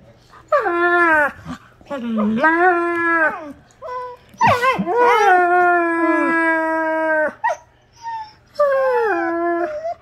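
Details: Two wolfdogs, Kano and Lupo, playing: long harmonic howling yowls that rise then hold or sag, in several bouts with short gaps, plus a sharp burst and brief whines between.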